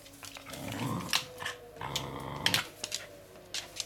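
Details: Pet Pembroke Welsh Corgi at play with a toy, giving short low growls in two bursts, broken by sharp clicking knocks and brief higher squeaky tones.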